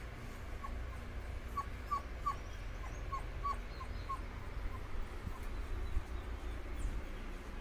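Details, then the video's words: Soft, whining yelps from Dobermann puppies as they cool off, a loose series of about ten short falling notes bunched in the middle seconds, then fading, with steady low hum behind. "Filhotes de Dobermann se refrescando"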